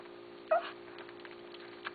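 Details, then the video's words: Young Basset Hound pups from Mia and Tucker's litter, June 6, 2013, give one sharp rising squeak, then faint murmurs and a small second yelp near the end, with a constant background hum. "Basset hound puppies"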